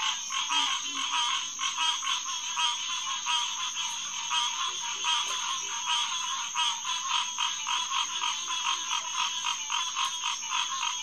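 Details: Night chorus of many Hyla cinerea green tree frogs at a headquarters pond in SMNWR, June 2, 2021, 9:10 pm. Overlapping quick honking notes pulse steadily throughout, with sparse low grunts in the background.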